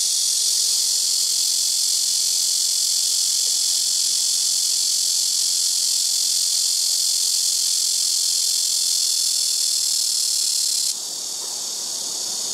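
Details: Blackish cicada (말매미) droning noisily from trees beside a house rooftop, where several take turns; a constant piercing high buzz for about eleven seconds, then abruptly quieter and thinner toward the end.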